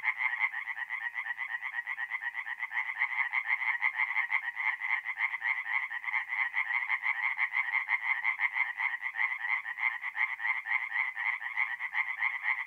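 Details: Singing tree frogs at a forest pond by night in April, north-eastern Italy; a thick, unbroken chorus of quick grating croaks, pulses running together at roughly two per second and more.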